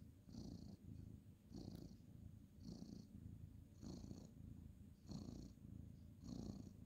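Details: Ginger tabby tomcat being petted on the bed at night before lights-out, 2/11/2023, purring continuously: a deep buzzing rumble that pulses with his breathing about once a second, each pulse carrying a faint airy hiss.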